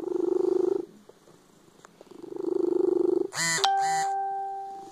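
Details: Loud cat purr in two low rumbling swells, followed near the end by a bright two-stroke chime with a lingering ringing tone over the quiet.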